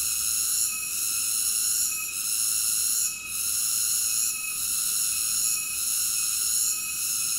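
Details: Steady high-pitched cicada drone, layered and ringing, with short soft dips roughly every second or so and one deeper dip near the middle; nothing else is heard.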